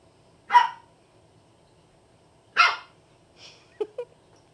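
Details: Shih Tzu/Pekingese mix puppies playing: two sharp broadband barks about two seconds apart, followed by a softer yip and a couple of short squeaky notes.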